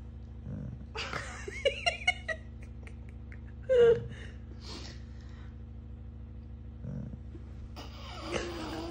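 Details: A moody female Labrador Retriever gives drawn-out, wavering moans and a louder sliding groan, moaning every time a person moves.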